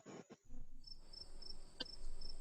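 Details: Cricket chirping from a sound library: thin, high-pitched pulses repeated about three times a second, quiet, following a brief voice at the start.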